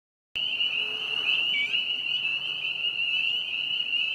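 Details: Spring peepers singing at a vernal pond in a park on April 25, 2020: a dense chorus of high, piercing peeps merging into a steady shrill band, with faint overlapping rising notes throughout.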